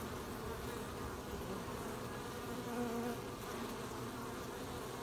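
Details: Bees collecting honey on 20 July 2020; a continuous hum of many wings, with one bee passing close near the middle and adding a brief, clearer pitched whine over the steady drone.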